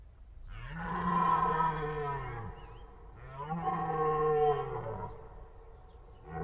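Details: A deer gives two drawn-out, hoarse bellows, each lasting close to two seconds, low and buzzy with strong overtones, the pitch sagging as each call ends; another call begins just as the recording stops.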